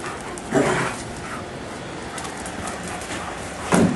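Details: Giant Schnauzers playing in a backyard on a hot afternoon; two short, loud, low barks, one near the start and one at the end, with steady outdoor background hiss between them.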